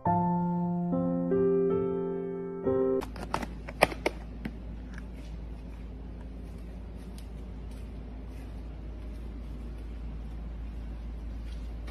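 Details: Short piano melody, then indoor rustling and knocks over a low steady hum, with no animal voice.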